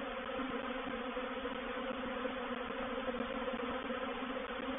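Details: Honey bees of a reproductive swarm entering a bait hive at Painted Peacock Manor, 04/07/21. Many wingbeats merge into a thick, continuous buzzing drone with strong low tones and an even loudness.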